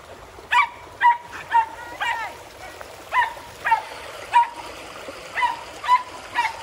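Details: Dogs playing in a pool, including Border Collies, a Springer Spaniel and a poodle; sharp barks repeated about twice a second, with splashing water beneath.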